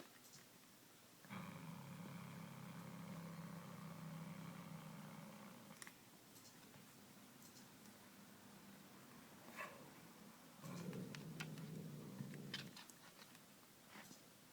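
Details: Male domestic cat growling while playing indoors with a small white toy mouse given as a belated Christmas present, catnip drops involved; a steady low harmonic growl lasting about four seconds, then a second two-second growl, with light tapping and rustling between.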